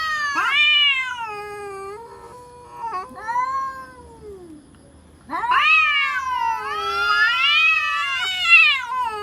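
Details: Real cats threatening each other with scary cries: wailing yowls that swell and bend in pitch, fading into a low, sinking moan, then a fresh burst of overlapping, rising and falling howls.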